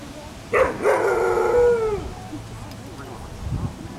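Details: Ava, an Afghan Hound at a picnic, gives a loud drawn-out howling bark: a sharp onset, then a sustained harmonic tone lasting about a second and a half that slides slightly downward and fades; quiet background murmur.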